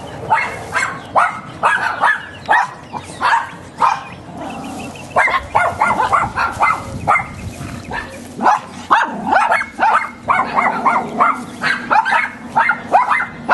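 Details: Neighbour's dogs barking outdoors; a long run of rough, hoarse barks in irregular bursts, sometimes overlapping as if from more than one dog, with brief gaps between volleys.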